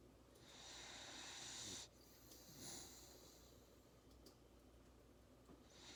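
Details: Napping Labrador Retriever puppy breathing heavily in its sleep; two long hissing, wheezy breaths followed by quieter soft breathing and a faint snort.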